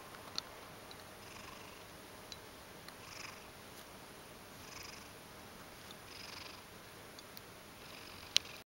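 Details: Ragdoll cat named Mojio, half asleep just after waking from sleep; quiet, soft breathy purring in gentle bursts roughly every one and a half seconds, with a faint sharp click near the end.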